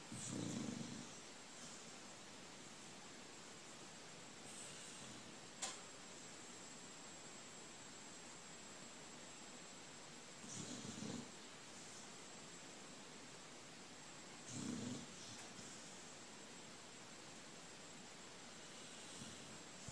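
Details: Sleeping old dog Pete, dreaming in the morning, gives soft, low rasping snores at wide, uneven gaps, with one sharp click and steady room hiss in between.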